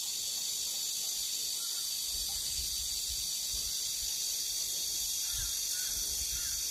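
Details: Early-summer evening cicada sound at a country home in Geumnam-ri, Bukhangang-ro, calling before other cicadas; an even, continuous high whining buzz fills the scene, with soft low rumbles in the background.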